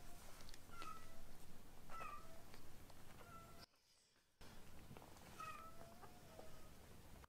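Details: Rescued baby kittens Ashiro and Akuro, being fostered indoors, give repeated thin, high meows, each short and dipping at the end, spaced a second or so apart. There is one pause, and low rumbling handling noise underneath.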